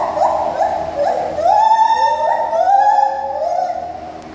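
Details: A mated pair of white-handed gibbons at a zoo sing their song, loud hooting notes that rise and swoop in pitch, the voices overlapping.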